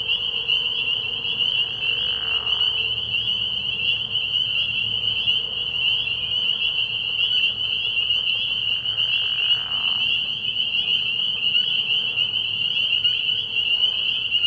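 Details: Dense spring peeper chorus from a frog pond at night early in the year; shrill high peeps merge into a constant ringing tone, with occasional soft swooshing sounds and a quiet low hum.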